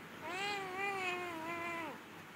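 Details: A single drawn-out meow from a domestic cat, lasting nearly two seconds, steady and slightly wavering before dropping off at the end, in a quiet indoor setting.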